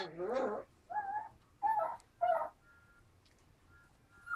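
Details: Four-week-old pups, 3/4 Alaskan Malamute and 1/4 Siberian Husky, give wavering, whiny yowls in short bursts while play fighting.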